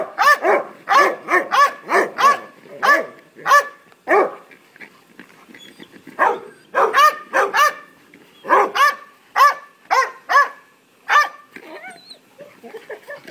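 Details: Three-year-old male Belgian Malinois barking crazily for a ball that younger Labradors are playing with; dense volleys of sharp barks with a brief lull midway, then another burst.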